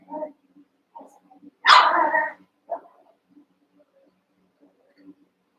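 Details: Playful Cavalier King Charles Spaniel puppies wrestling in a pen, eight littermates and pen-mates; one loud, harsh bark stands out among soft scattered grunts and small yips.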